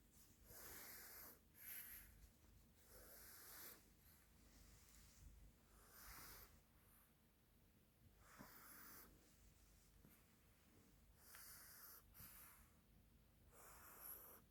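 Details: Deeply asleep, the dog Bella snores like a piglet: hissing, breathy snores repeat roughly every two to three seconds in a steady rhythm, each a short rasping burst, with nothing else audible.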